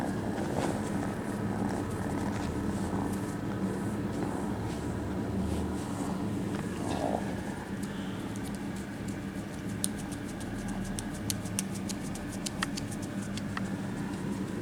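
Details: A low, steady purr from kittens at a cat cafe, among them North, rumbles beneath brief quiet human murmuring midway, followed by a run of sharp little clicks and rustles near the end.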